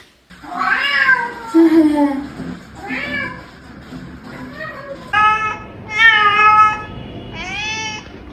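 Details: Domestic cat meowing: a series of drawn-out, harmonic meows that rise and then fall, some longer and wavering, others shorter and brighter, with quiet gaps between them and faint voices in the background.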